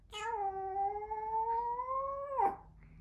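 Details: A Maltese dog howls in reply to its owner, a long, steady howl that rises slightly and then drops away.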